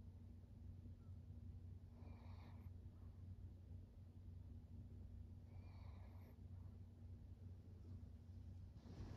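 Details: Senior fawn pug Maria, a 13-year-old female in Japan, recorded in September, gives two short breathy snorts about three and a half seconds apart, heard over a constant low-pitched background hum.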